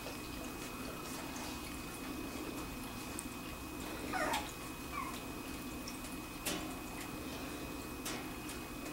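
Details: Two-week-old Wirehaired Pointing Griffon puppies of the "G" litter at Bluestem Kennels, at an age when they mostly sleep and eat; two short, high, wavering squeals come close together midway, over steady indoor hiss and faint clicks.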